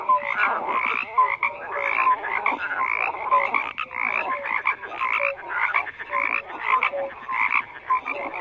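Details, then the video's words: Massed frog chorus with loud grating croaks rising and falling in bursts, short pure notes repeated at intervals beneath the din. "FROGS CROAKING"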